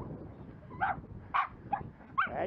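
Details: Jack Russell Terrier in scent-tracking training as a search dog gives four short, high yips spaced about half a second apart over a low rumbling background.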